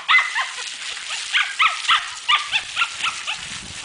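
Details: Muffin, a female pet dog, during a bath: a quick run of short, high, whiny yips with bent pitch, about four per second, over a faint hiss of running water.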